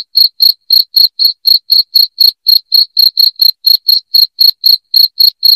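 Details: Loud cricket calling intended to scare off rats, a steady series of roughly four high, crisp chirps each second throughout, with a silent background.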